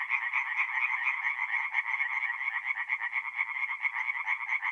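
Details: Forest pond by night in April, North-East Italy, with tree frogs calling together: fast, harsh pulsed croaks repeating about twice a second, layered into a bright, rattling wall of sound without interruption.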